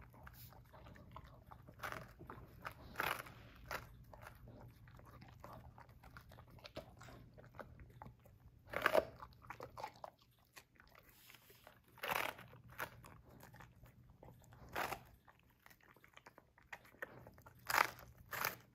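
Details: Vincent, a pet Basset Hound, munching on romaine lettuce: sharp crunchy bites in separate bursts about every two to three seconds, with quiet gaps between them over a faint steady low hum.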